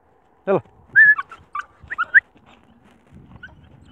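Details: Abandoned stray puppy found alone in fields far from a village, near a busy street, reacting sadly and happily to its rescuer: short high whines and yelps in a quick cluster, with a sharper yelp at the start, then quiet.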